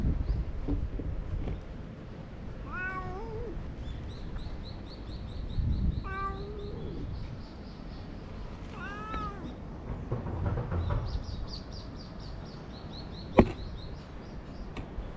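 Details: Stray cat that talks a lot while being stroked, letting out three short, rising-falling meows a few seconds apart, with a faint high whine, low background noise and a sharp click near the end.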